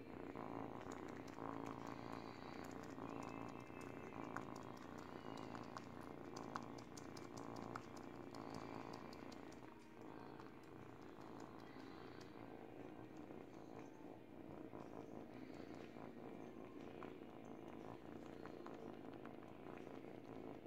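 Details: An 8-week-old kitten purring while teething on a baby blanket; a soft, steady, low rumbling purr runs unbroken for about twenty seconds, easing slightly near the middle before resuming at the same even level.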